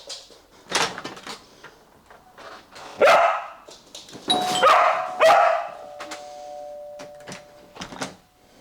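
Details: Pet dog at home during doorbell training, barking as the bell rings: scattered sharp barks and yips among a two-tone doorbell chime, with a trainer's brief spoken command.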